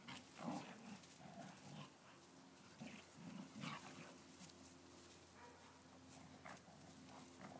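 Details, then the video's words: Two Chow Chows, Lilly and Bough, fighting; low rumbling growls and snarls come in bursts over about seven seconds, with sharper yelping accents near the start and middle against a steady background hum. "Chow chow fight"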